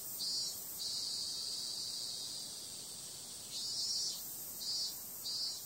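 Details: On a summer night, cicadas keep up a dense, bright buzzing drone, broken by a few louder pulsed swells near the start and again toward the end.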